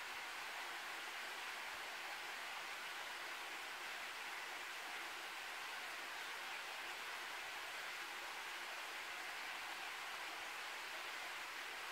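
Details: Steady, even rushing noise like rain or flowing water fills the whole recording, with no animal calls standing out.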